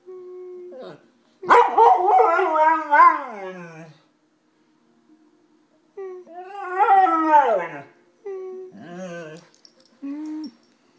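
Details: Golden retriever named Jimmy howling in long wavering, speech-like phrases that rise then slide down, three main bouts separated by short pauses with a few shorter yelps near the end.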